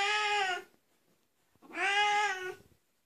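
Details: , Oriental Siamese cat giving two loud, drawn-out meows, each about half to three-quarters of a second long with a rich harmonic tone, separated by a short silence indoors.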